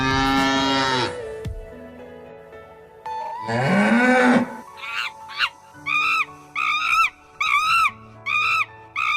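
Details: Cattle mooing: a drawn-out, low, rising moo in the middle, between a brief opening burst and a run of short, repeated, higher calls, with background music throughout.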